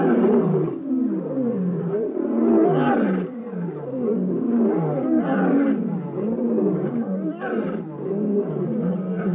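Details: African lion sighting in Kruger National Park, Shingwedzi area: dense, rough, low roaring grunts that rise and fall in quick succession, forming an unbroken guttural chorus with no other sounds.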